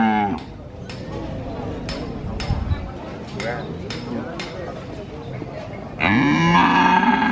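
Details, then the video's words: Cattle market in Purwokerto, Indonesia, where a calf moos continually beside an occasionally mooing adult; market clatter and voices, then a loud rising moo near the end. "Suara Anak Sapi Asli Moo Seram , Cow Sound Effect Mooo , Suara Sapi Asli di pasar Sapi Purwokerto"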